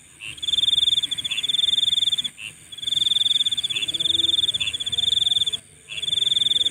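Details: Shrill nighttime insect trill, a fast pulsed buzz that runs almost without stopping, cut by a few brief pauses, with short chirps mixed into the stream.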